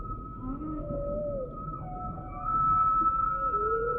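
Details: Humpback whale song sample mixed into a relaxation track: drawn-out moaning tones gliding up and down beneath a steady high drone, some rising sweeps, continuous and even throughout.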